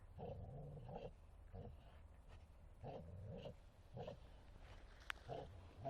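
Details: Martin, a Bull Terrier, playing in a forest: low rumbling growls in short bursts about every second, with a faint higher tone over each, and a sharp click near the end.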